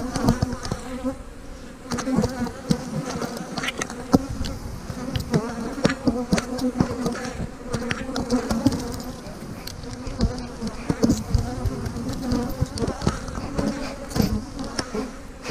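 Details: A honey bee colony being split into new hives with queen cells drones in a thick, continuous hum, layered with scattered clicks and taps from handling the boxes.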